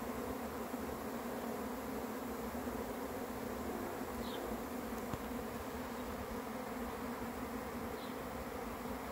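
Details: Arriving honey bee swarm: thick, constant humming buzz from many bees, even in loudness, with two faint short bird chirps in the background and a single soft click midway.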